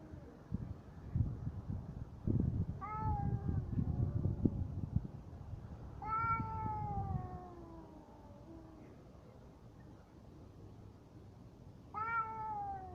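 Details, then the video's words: Cat fight with low growling rumble for the first four seconds, then long descending harmonic yowls at about three and six seconds, and another sharp yowl starting near twelve seconds. "Коты батл."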